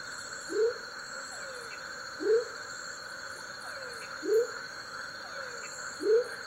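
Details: Male smoky jungle frog (Leptodactylus savagei) calling in Tayrona National Natural Park: four short, low, upward-swooping whoops about every 1.7 seconds, each followed by a faint falling slur, over a steady high insect drone.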